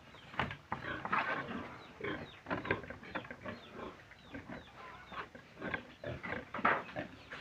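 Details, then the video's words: Pig producing dense, harsh grunts and squeals in rapid irregular bursts, loud throughout with a few sharper peaks. "Piggy,love pig"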